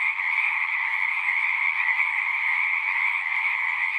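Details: Massed singing frogs produce a steady wall of trilling sound in two stacked pitches, unchanging and dense, with a few soft low murmurs underneath.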